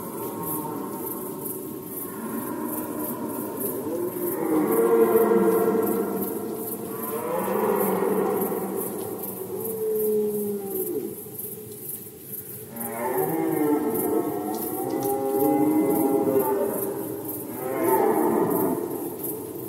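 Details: Red deer stags roaring during the rut in Poland, 2020: long, harmonic, groaning bellows lasting several seconds, rising and falling in pitch, with pauses between bouts and a steady, faint, high, pulsing ticking behind them.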